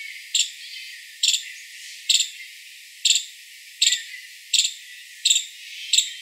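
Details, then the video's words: Eight piercing, high chirps from a five-striped palm squirrel, repeated at a steady pace of a little under one per second against faint background hiss. "Five-striped Palm Squirrel Sound"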